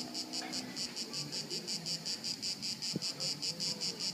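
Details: Crickets at Haut-de-Cagnes, 2013, chirping in regular high-pitched pulses, about two and a half per second, steady and even, with faint low rumbling background noise.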